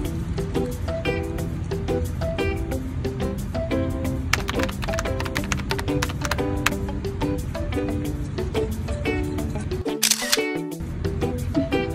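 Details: Loud rhythmic music with a steady beat throughout and a short swooshing burst near the end, with no animal calls.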